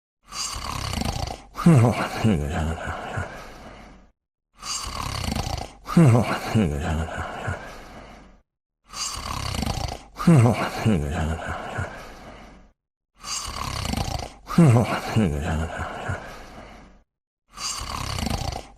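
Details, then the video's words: Sleeping puppy snoring: deep, rough, low-pitched snores in regular bursts about every four seconds, each breath separated by a short silence. "Puppy Sleeping and Snoring"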